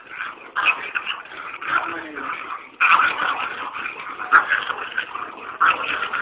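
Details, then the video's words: Pet dog giving rough, noisy bark and growl bursts at an irregular pace, roughly one every second, with a few sharper accents among the grumbling. "NOISE&BARKS DOGS"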